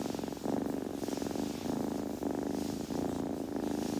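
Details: Kitten's purr, deep and steady, rising and falling with its breathing in roughly half-second to one-second phrases, brief pauses between breaths, quiet room.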